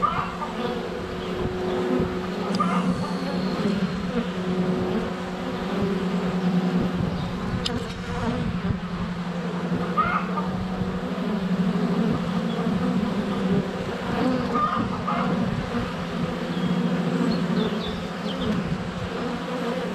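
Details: Dense, even drone of honey bees circling the hive entrance on a sunny February day, recorded with a GoPro Hero 7 Black inches away, with a few thumps of bees landing on the camera and faint birdsong.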